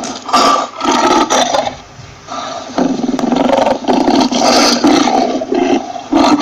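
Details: Lion giving repeated harsh roars and grunts in quick succession, loud and raspy with brief gaps between bursts, the calls pressed close together throughout.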